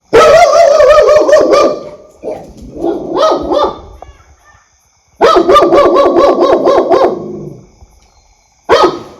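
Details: Pet dog barking loudly in bursts: a rapid volley of harsh barks, a softer stretch of barks, a pause, another long fast run, then a single bark at the end. No other sounds.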